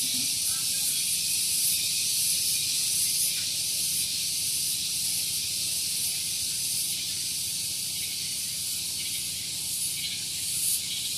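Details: Cicadas singing one morning at Gunung Geulis, Bogor, West Java, near a parking area: a dense, loud high-pitched hiss that holds steady throughout, with faint rhythmic pulsing.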